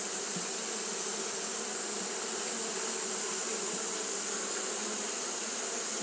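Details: Fanning Japanese honey bees on a hot day make an unbroken, humming buzz with rich low overtones, set against a persistent sharp hiss.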